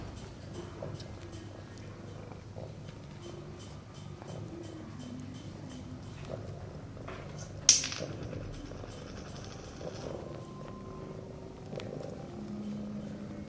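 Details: Sphynx mother cat with her kittens playing in their nest: low, steady purring with a soft rhythmic pulse, faint rustling throughout, and one sharp knock partway through.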